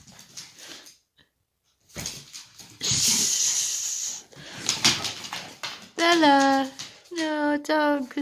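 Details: Dog at play indoors, a tiny boarding Chihuahua inviting a Leonberger to play; a woman talks, then two drawn-out tonal whining cries near the end, each under a second, falling and then levelling off.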